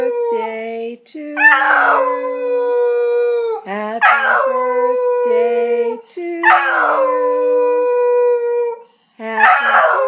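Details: Cocker spaniel, pet dog woken from sleep, joins in with happy birthday: repeated drawn-out howls starting with a strained break and leveling to a steady held tone, overlapping lower sung human notes between them.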